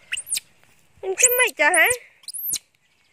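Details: A loud screaming cry from Janny, a monkey hungry for its mother. Thin, high arched squeals open and close the passage; between them come two longer, lower, wavering wails. Quiet gaps fall between calls.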